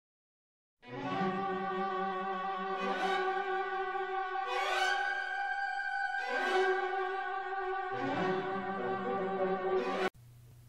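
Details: Bowed strings play sustained orchestral chords that swell in repeated phrases, then stop abruptly, leaving a low hum.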